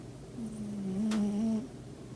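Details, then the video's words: A pet cat at home snoring in its sleep on a quiet weekend in early 2021: one drawn-out, low, droning snore lasting about a second, steady in pitch, in a quiet indoor room. "리얼 고양이 코골이"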